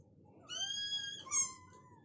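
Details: Rottweiler giving birth to a litter of nine puppies, her first litter; a high, thin, harmonic squeal, first held level and then dropping in pitch, lasting about a second, over a quiet indoor background.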